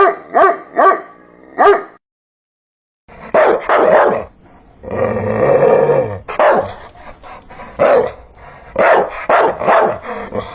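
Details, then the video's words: Dog barking: a quick run of sharp harmonic barks at the start, a short pause, then louder, rougher barks and a drawn-out growling stretch, followed by more repeated barks to the end. "Hear the sound of a dog barking"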